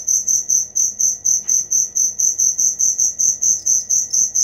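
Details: Close cricket giving loud, regular high chirps, around three per second, each a short ringing pulse, steady throughout.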